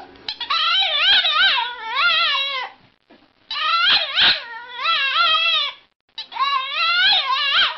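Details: A Boston Terrier gives a sustained, quavering cry: high, tremulous whines that swoop up and down, delivered in three long bouts separated by brief silences.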